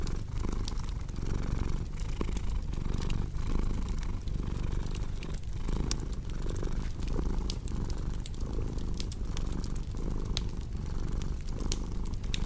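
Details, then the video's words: Cat purring in a soft, low rumble with a regular inhale-exhale rhythm, accompanied throughout by crackling, popping firewood. "Purring Cat"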